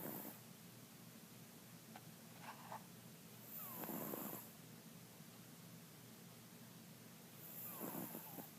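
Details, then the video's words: Mr. Jigilo, a pet cat nicknamed Jiggy, snoring in his sleep: soft, raspy breaths recurring roughly every four seconds, each swelling briefly then fading, with a faint high hiss in the room between them. "Snoring Mr. Jigilo the Cat"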